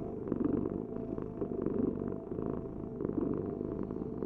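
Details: Domestic cat purring: a steady low rumbling buzz that swells and eases with each breath, roughly every second and a half, with no other sounds.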